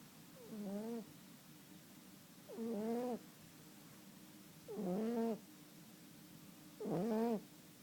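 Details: A sleeping cat snoring: four drawn-out, wheezy breaths with a nasal, harmonic whine, each lasting about half a second to a second and recurring roughly every two seconds, with quiet pauses between.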